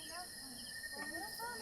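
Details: Crickets at night at a quiet mountain campsite about 230 meters above sea level in Dingalan, Aurora, Philippines: a steady, unbroken high trill with bright overtones, and faint rising and falling whistled notes drifting in the background.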